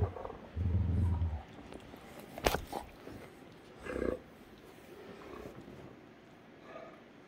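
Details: Playful Great Danes Heartbreaker and Rhapsody on a Sunday morning. A low, rumbling growl near the start, a sharp knock, then a shorter growling grunt; background otherwise quiet.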